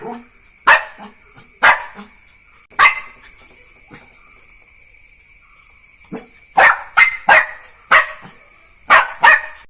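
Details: Jack Russell Terrier puppy giving repeated sharp barks, spaced at first and then in quick clusters toward the end, with quieter low sounds between barks and a steady faint hum throughout.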